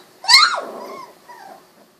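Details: Golden Retriever puppies, 16 days old, eyes recently opened, wiggling around indoors; one sharp high yelp falling in pitch, followed by a softer drawn-out whine that trails off.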